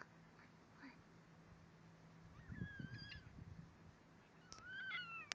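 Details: A baby fennec fox gives thin, high, squeaky calls that slide up and down, two short bursts close together.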